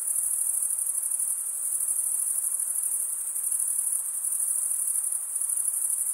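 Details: A wall of high, shrill cricket trilling from stridulating males, evenly pulsed and steady, with slight swells in loudness and no other sounds.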